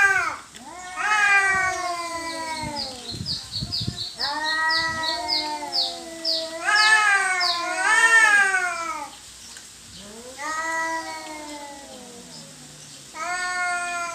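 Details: Two domestic cats fighting over territory trade overlapping harsh yowls and wavering screams, some rising sharply then sliding down, with brief pauses between drawn-out wails throughout.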